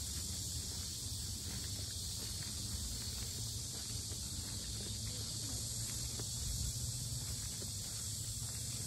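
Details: Cicadas drone loudly at the Sinjeongho lotus park in Asan, Korea: a steady, unbroken high hiss, with footsteps and low rumble from a walker beneath it.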